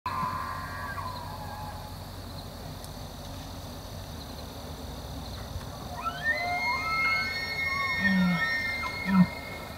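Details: A huge bull elk bugles during the rut, a high whistling scream that slides up and down, followed by low grunts.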